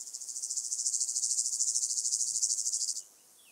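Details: A southern heath grasshopper (Stenobothrus fischeri) at Sandberge Oberweiden, Austria, 15 July 2020, gives a three-second, high-pitched rasping song of evenly pulsed strokes that rises in volume, then stops abruptly into near silence.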